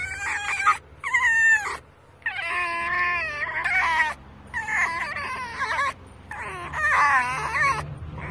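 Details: Rescued female fox excited while being petted, giving long, warbling, high-pitched whining squeals in bursts of one to two seconds, separated by brief silences.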